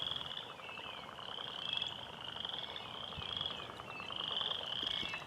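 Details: Spring peepers calling in the distance from a small pond, with the frogs growing quieter as a person and dog approached: a dense overlapping chorus of high, thin whistled peeps and sliding notes, over crackling outdoor background noise.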